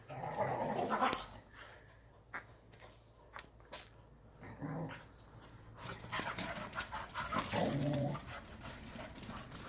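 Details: Korean native Jindo dogs Sundol, Baekho and Ttoksuni during exercise time: short rough dog vocal bursts, growly and breathy, come in irregular clusters, with a person talking between them and outdoor background noise.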